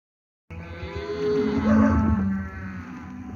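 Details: Steers in lot 17 at Lago Escondido. After a brief silence comes a single rich, drawn-out low moo that swells in the middle and fades, with a rumbling background beneath it.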